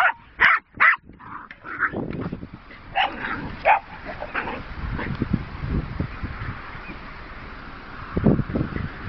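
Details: Jack Russell Terrier sisters Rosie and Poppy playing with a horse's boredom breaker toys; two sharp barks open, then a few scattered yips over rustling and clattering play noise.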